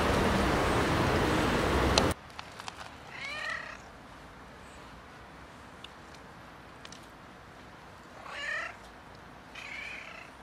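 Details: Domestic cat meowing, one of a compilation of noisy cats and kittens: a loud burst of broadband noise for two seconds, then three drawn-out, wavering harmonic meows spaced several seconds apart over a quiet room background.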